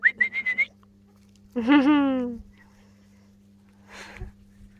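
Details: A 4-week-old Jack Russell terrier puppy, filmed 28 July 2013, gives a quick burst of high squeaks, then one long, drawn-out whine that slowly sinks in pitch, followed by a soft rustle.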